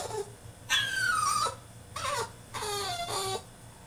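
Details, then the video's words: French Bulldog, a male, throwing a tantrum in his cage indoors: high, wavering whines and yelps in three bursts, the first long and falling in pitch, the later ones shorter with sliding harmonics, separated by brief quiet gaps in a small room. "FRENCH BULLDOG THROWS TANTRUM IN HIS CAGE!!"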